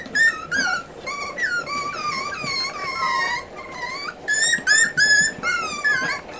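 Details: Miniature Schnauzer puppies from a litter of eight, about forty days old, indoors as their mother begins weaning them; dense overlapping high, wavering whines and squeals rising and falling, many voices at once in a small room.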